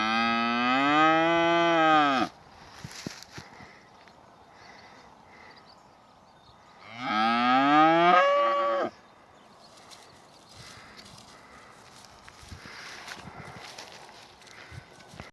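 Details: Two loud, long moos from Angus cattle in a village, each about two seconds, strongly harmonic and rising at the onset, spaced roughly five seconds apart, with quiet farmyard background between them.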